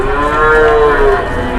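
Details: Large cattle at a busy livestock market in Indonesia ahead of Idul Adha; one long, steady, harmonic moo lasting over a second, with a faint crowd murmur behind.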